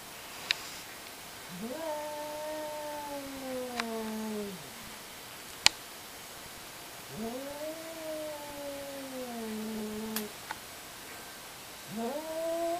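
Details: Two cats hollering at each other in a fight: three long, drawn-out yowls, each rising sharply then holding a wavering, slowly falling tone for two to three seconds, with quiet pauses and a few sharp clicks between.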